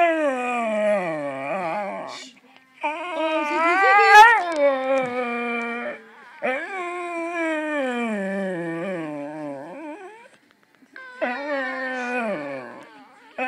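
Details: Ziggy, a pet dog, sings along after a giraffe iPhone app plays his singing back to him. He gives long, wavering, tuneful howls in four drawn-out phrases with short silent gaps, the pitch sliding up and down within each phrase.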